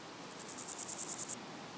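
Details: A meadow grasshopper (Chorthippus parallelus), a flightless species, sings a brief burst of about ten dry, rasping pulses lasting around a second.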